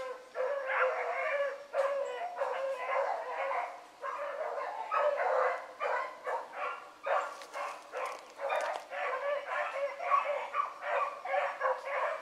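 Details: Pack of hound pups, including Ringo, Mingo and Choco, baying on a running rabbit in the morning; continuous chorus of short overlapping bays and yelps from several dogs, with faint voices.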